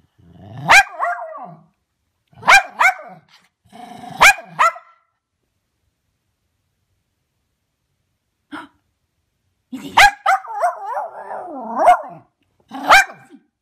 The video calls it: Cairn Terrier Glargle Barking